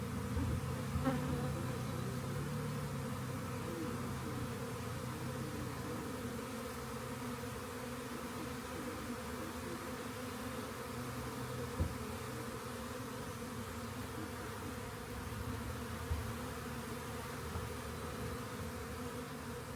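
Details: Many honey bees in a swarm, found near a rain gauge and collected, hum on steadily in a deep, even, layered drone with occasional faint taps.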